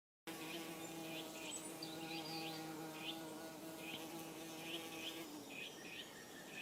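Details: Saxon wasp working at its aerial nest on the first day of building, 16 April 2015: a steady low droning hum with rich harmonics, with repeated short high bird chirps behind it.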